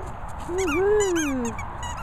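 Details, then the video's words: Border Collie giving a single drawn-out tonal whine, about one second long, that dips and then rises before sliding down at the end, with a faint higher harmonic tone above it over a quiet background. "Border Collie Pitcher Pip whizzing"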